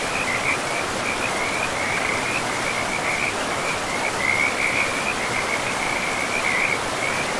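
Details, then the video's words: Frogs beside a river in an untouched, mossy forest, giving a continuous stream of short, raspy croaks that crowd together into an unbroken chorus, with the hiss of rushing river water throughout. "River and Frogs sleep sounds"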